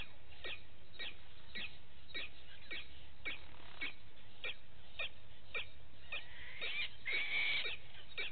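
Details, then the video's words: Live waterhole camera at Gowrie dam, Djuma Game Reserve, South Africa, vervet monkeys in the morning: rapid repeated falling chirps, several each second, ending in a brief louder, harsher flurry, with low rumble underneath. "Vervet Monkeys enjoying their morning"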